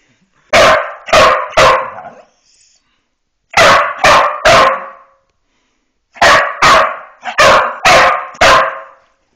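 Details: Cesky Terrier meeting a bully stick for the first time barks at the treat as if it were dangerous: sharp, loud barks in bursts of three, three, then five, separated by short silences.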